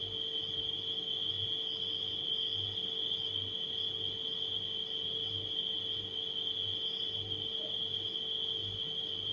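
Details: Night crickets sustain a piercing continuous trill, with faint scattered chirps, mixed with the steady low drone of a running refrigerator.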